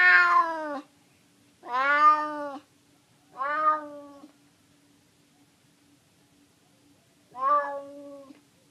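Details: Hungry neighbourhood stray cat in San Francisco meowing: three quick meows in succession, then a pause of about three seconds before a fourth, softer, trailing meow; a faint steady hum underlies the calls.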